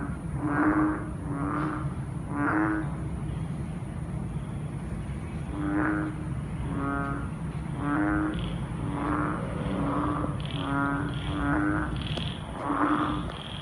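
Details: Frogs croaking in darkness after heavy rain: rich, bleating croaks in irregular runs with a pause in the middle, joined near the end by fainter higher calls from other callers.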